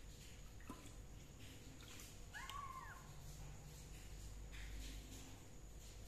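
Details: Single clear meow from a kitten being treated for fungus with leaf juice, a short arching cry in the middle of the recording, with a faint tap and a constant low background hum.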